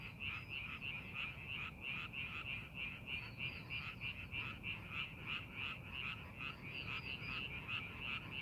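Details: Frog chorus from rice paddies during farming preparation: dense overlapping rasping croaks pulsing about three times a second, several callers layered together, with steady low background rumble.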